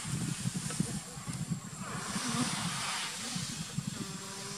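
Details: Asian honey bees (Apis cerana) give a low, pulsing buzz over a steady hiss as a danger alarm signal warning nestmates before stinging.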